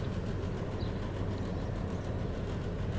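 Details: Steady low rumbling of a passing train fills the recording, with no animal voice heard.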